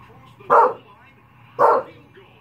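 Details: English bulldog barking at the Puppy Bowl on TV: two short, mid-pitched barks about a second apart, with a faint steady TV hum in the background.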